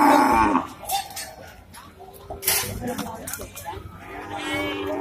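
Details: Male Indian cattle bull rampaging on entering the Pasar Wage Bumiayu livestock market, six days after Eid al-Fitr 2022; a short, deep harmonic moo opens the moment, followed by loud crowd chatter and shouting.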